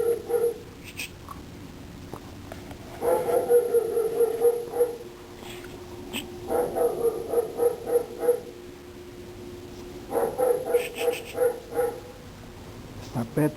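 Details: Domino, a dog, yaps in quick repeated runs of sharp, high barks, four or so each second, with short quiet gaps between the runs while a person tells it to stop.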